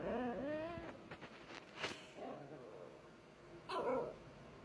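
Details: Five-month-old Scottish Terrier-Chihuahua mix puppy whines, growls, then gives a sharp yappy play bark, trying to get her sleeping two-year-old sister to play.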